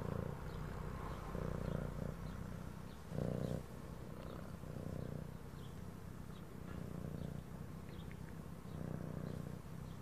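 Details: Domestic cat purring steadily, a low rumbling drone pulsing in breath-length surges about every second or two, with faint soft background music above.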